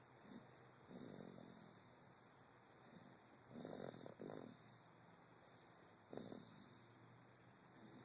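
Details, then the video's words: Sleeping dog Charlie Bear gives three irregular snores: drawn-out, raspy inhalations around one, three and a half, and six seconds, the middle one longest and split into two pulses, against a quiet room hum. "Snoring Charlie bear"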